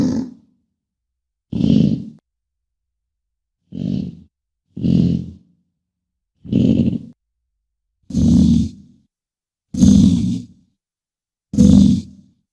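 An American bison gives deep, rough bellows, each about a second long, repeated every second or two.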